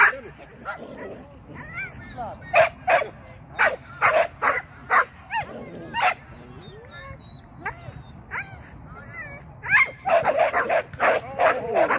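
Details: Sian the Shetland sheepdog barks excitedly during agility work on the seesaw and through a tunnel. A quick, uneven string of yappy barks runs throughout, with a person talking between them.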